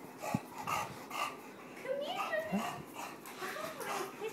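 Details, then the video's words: English bulldog aged eight months greeting its owner on her return home, excited whimpers rising and falling in wavering tonal slides, mixed with breathy snorts and faint background voices. "English Bulldog Niko excited to see mom."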